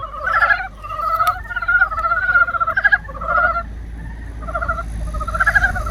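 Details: Frogs calling in spring: a few separate pulsed, rattling croaks, each lasting under a second and coming in irregular bursts, with a low background rumble.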